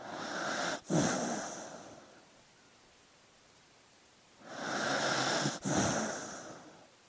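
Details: A dog breathes heavily while asleep: two long airy, hissing breaths about four seconds apart, each with a brief catch in the middle, and near silence between them.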